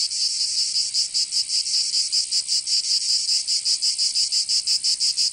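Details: Summer cicada song from Provence in southern France, an intense high buzz rising and falling in rapid, fairly regular pulses, nearly three per second, steady from start to finish.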